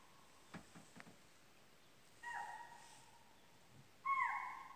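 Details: Deer calling in the jungle of Pilibhit Tiger Reserve: two loud, steady tonal calls about two seconds apart, the second starting higher and then dropping, each lasting about a second, with a few faint knocks and a quiet background.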